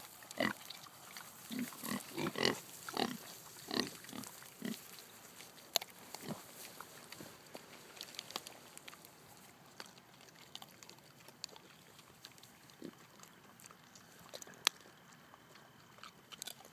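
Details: Heritage-breed Kunekune pigs, breeding stock, eating acorns with loud appetites; a cluster of loud, harsh grunting and squealing bursts fills the first five seconds, then scattered quieter crunching and clicks follow.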